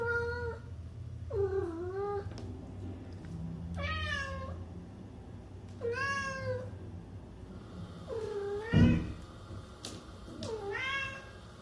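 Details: Kitten meowing repeatedly, about six clear harmonic meows spaced one to two seconds apart, each rising then falling, with a low rumbling hum underneath and a brief knock near the end.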